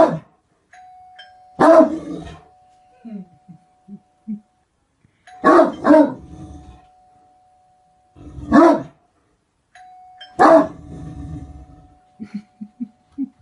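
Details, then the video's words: Great Dane barking: four deep, rough single barks spaced roughly three seconds apart, with soft low grunting sounds between them and a faint steady electrical tone running beneath. "Great dane barking"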